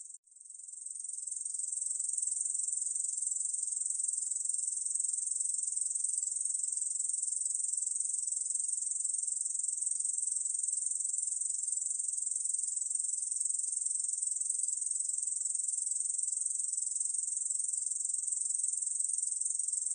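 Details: Korean bush cricket singing, 2020 recording: a continuous, high, hissing buzz that fades in during the first two seconds, then holds steady and unbroken for the rest, with no other sounds.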